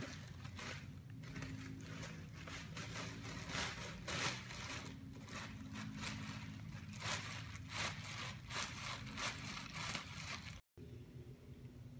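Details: Scraping, crunching and rustling noises fill the recording, with a steady low rumble underneath and a brief dropout near the end; no animal voices are heard.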